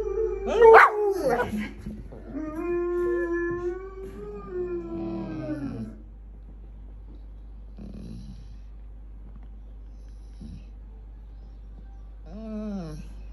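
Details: Pet dogs howling: a loud, harsh burst opens, then a long sustained howl that holds steady before sliding down, followed by quieter pauses and a short whining rise near the end.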